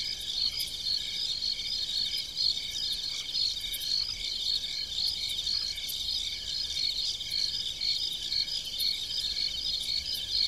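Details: Crickets chirping in farm fields at night: a dense chorus of high, rapidly pulsed chirps in overlapping bands, steady throughout, with a few faint higher ticks and a low rural background hum.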